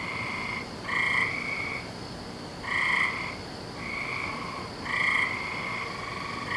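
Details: Every night in May the frogs call; here, on 17 May 2012, buzzy trills last about a second and alternate between callers roughly every two seconds above steady background hiss.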